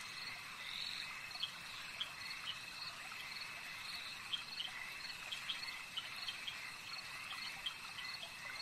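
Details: Frogs calling at a lake: a dense, unbroken high-pitched chorus of trilling voices, with short sharp pips scattered irregularly over it and a steady insect-like hum underneath.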